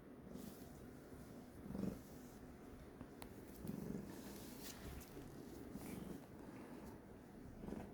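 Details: A cat, apparently displeased, purrs in a low rough rumble that rises in brief surges roughly every two seconds, with a sharp click just past three seconds.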